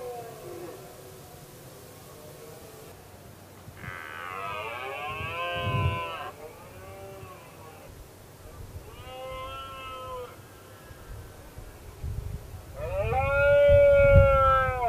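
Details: Red deer stag roaring during the 2016 rut, when a dominant male, the 'king', challenged other males and a single rival dared to face him. Three long harmonic bellows rise and fall, the last loudest, over low rumbling background noise.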